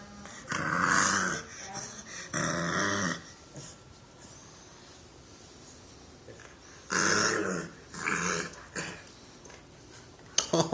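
A bulldog puppy makes raspy, growly little grumbles in short bursts.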